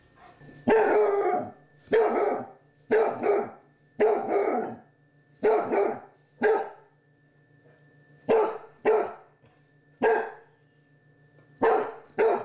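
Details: A Basset Hound puppy, battling a Halloween candy dish alongside a Chihuahua, barks in short, hoarse bursts repeated roughly every second or two.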